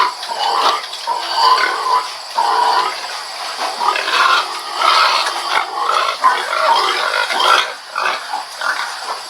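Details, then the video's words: Pig voicing continuous nasal grunts and short squeals in uneven bursts, with a constant high background hiss throughout. "Pig Sound Effect"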